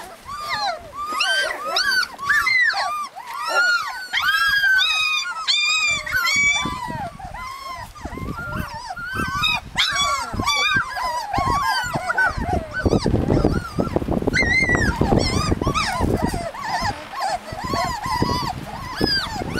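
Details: Husky puppies in Lapland whining and yelping together in a dense chorus of rising-falling squeals, with rustling and scuffling noise growing louder in the second half.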